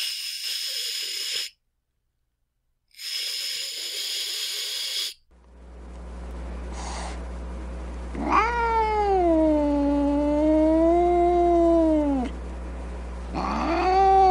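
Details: Angry cat hissing in two harsh, breathy bursts, then a pause and a long, wavering, moaning yowl that rises and falls. A second yowl begins at the end, over a steady low electrical hum.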